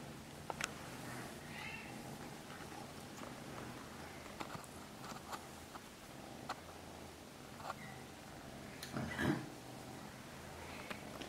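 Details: Norwegian Forest cat purring quietly indoors, a soft low rumble pulsing in steady breaths, with scattered clicks, light rustling and one louder knock near the end.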